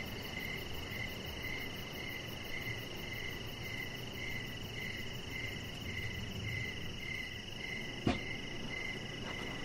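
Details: Crickets chirping on an evening deck, a clear repeating train of short pulses several per second with a constant high drone, plus one sharp click near the end.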